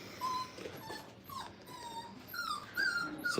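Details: Five-week-old Brittany puppies in a crate at a training kennel, playing with new toys, give thin, high whines and squeaks, several short tonal cries sliding up and down, some rising sharply near the end, against soft room noise.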